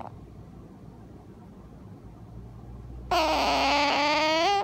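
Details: After three seconds of quiet room hush, a sleeping Asian small-clawed otter talks in its sleep with one loud, reedy, wavering whine for about a second and a half, lifting slightly at the end.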